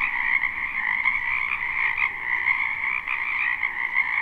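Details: Frogs croaking en masse in a wetland during spring, captured live: a constant, rattling trill chorus in two steady pitch bands, with brief louder pulses from nearer callers.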